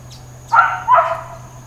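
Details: Dog barking at Hawaiian Paradise Park, Hawaii, on Labor Day, September 2, 2024, during a long stretch of intermittent uncontrolled barking: two sharp, harsh barks in quick succession, with a steady low hum and a faint high tone behind.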